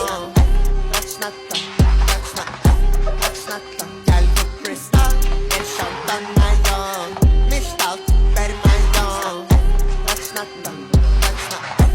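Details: Rhythmic pop and hip hop music with a pulsing bass beat and sung vocals throughout, with no dog or other animal sounds.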